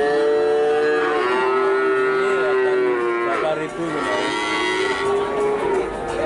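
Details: Calves offered for sale, Limousin and Brahman, three to four months old. A long, steady, nasal moo fills the first three seconds, then fades into fainter overlapping bawls amid background murmur.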